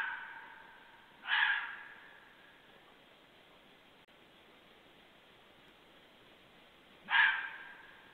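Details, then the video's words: Fox barking at night, 23:51 on 2 January 2014, following a passing group: two hoarse, harmonic barks spaced roughly six seconds apart, each trailing off in a fading echo against a quiet background. "l'aboiement du renard"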